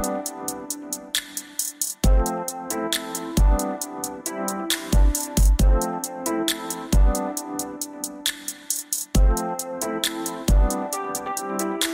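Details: Electronic music with punchy drum-machine beats and deep bass runs throughout, without any animal sound.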